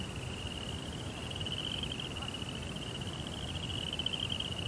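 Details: Crickets at night in a Japanese Zen garden setting with a koi pond: a steady, high, unbroken trill holds an even pitch throughout, over a soft low rumbling background noise.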